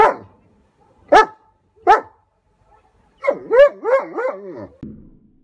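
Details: German Shepherd barking at an approaching hot air balloon: three sharp barks about a second apart, then a wavering, whining run of yelps and howl-like cries.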